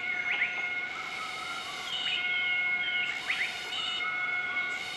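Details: A group of southern white-cheeked gibbons duets its morning call in Nakai-Nam Theun National Protected Area, central-eastern Laos, on 20 March 2014. Quick upswept whistled notes recur over steady, high droning insect tones.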